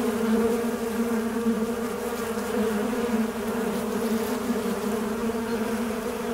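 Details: A fly's buzz, steady and low, with a harmonic layer above it. The pitch drifts a little and the loudness stays nearly constant.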